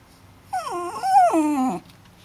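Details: Short wolf-like howl from a dog, just over a second long: the tone dips, climbs back to a wavering peak, then slides steeply down to a low finish.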